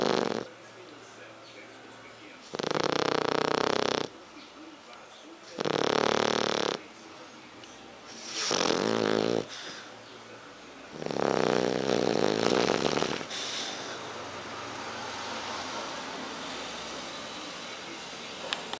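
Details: Héron the French Bulldog sleeps and snores in a run of four loud, grating snores spaced two to three seconds apart, the last one longest, then fading into soft steady hiss.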